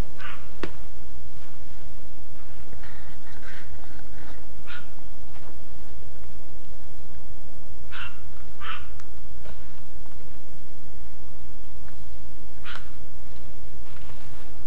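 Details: Dogs barking at night around 1:55 am on June 16, 2010. The barks come as distant, scattered bursts over a steady low hum, with a few sharper sounds in between.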